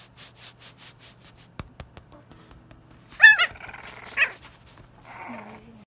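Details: An English bulldog puppy in south-eastern Kentucky gives a loud, strained bark and a yelp after a run of rhythmic snuffling breaths.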